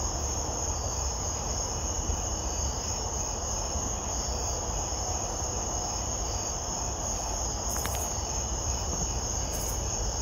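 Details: A katydid stridulates by rubbing its wings together on a summer night, making a steady, dense, surprisingly loud chorus of shrill, rasping calls.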